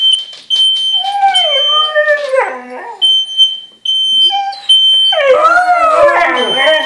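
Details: Two household dogs, a Siberian Husky and a German Shepherd, reacting to a beeping smoke alarm triggered by cooking; drawn-out sliding howls, a pause filled by alarm beeps, then a loud chorus of overlapping wavering howls.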